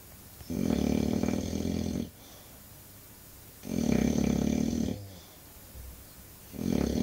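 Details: English Bulldog asleep and snoring in a steady rhythm: three heavy, gravelly snores of about one and a half seconds each, low rumble with raspy overtones, short quiet gaps between them.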